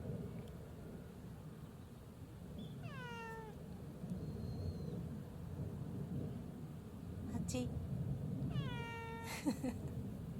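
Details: Hachi, a community cat that answers when called by name, meows twice, each call sliding downward with strong harmonics, roughly six seconds apart, with brief clicks and soft outdoor background noise between.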